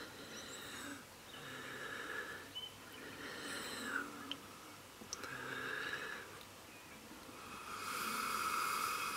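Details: A female Welsh red fox called Mrs Fox, hand-fed by neighbours in July 2017, gives a series of rough, wheezing hissy exhalations, each about a second long with short gaps, ending in a louder, longer breathy rasp.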